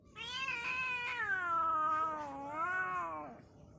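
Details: Little pet kitten giving one long, drawn-out meow of about three seconds, bright and harmonic, gliding downward, dipping, then rising briefly before trailing off, in a quiet indoor setting.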